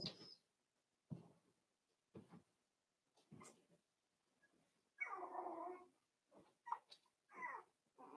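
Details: Four-week-old Cavalier King Charles Spaniel puppies from Daisy's litter in an indoor puppy pen: a run of short soft bursts, then a longer whiny, grumbling vocal, followed by brief squeaky yelps and scuffling.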